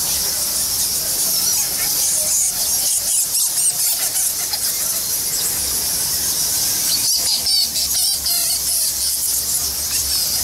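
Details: A roost of thousands of bats in Goa Lawah cave temple, Bali, squealing and twittering continuously at high pitch; around the middle a brief flurry of louder, wavering squeaks breaks through the dense chorus.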